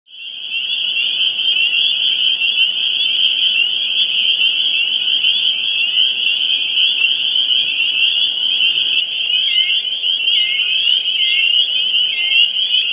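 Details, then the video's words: A dense chorus of male spring peepers calling to females on Cape Ann, Massachusetts: countless high, piercing peeps merge into a continuous shrill ring. "Spring Peeper Chorus"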